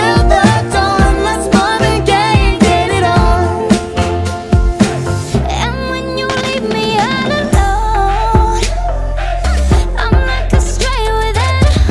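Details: Loud pop-style music with a sung vocal melody and steady beat, filling the whole recording; no animal voices stand out.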